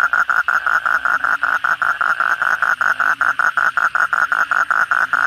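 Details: Kodok bangkong toads calling loudly at night after heavy rain: a steady series of short, buzzy croaking pulses at mid pitch, about two to three per second, one voice dominating over a faint background chorus.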